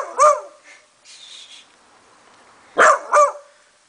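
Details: Beanie, a beagle, gives short, sharp bark-yelps that bend downward, one early then a quick pair, while investigating a singing treat jar at 7 in the morning; Beagle.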